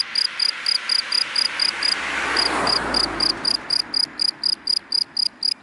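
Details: A cricket chirps in short, shrill pulses, several each second, steady and repeating, from dry grass in the daytime, with cars passing by.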